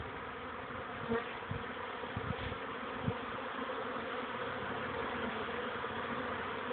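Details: Many honey bees buzzing during young bees' orientation flights on 13 May 2013 at 14:04, a warmer day after cold rain; an even, unbroken droning hum with only a few faint low knocks.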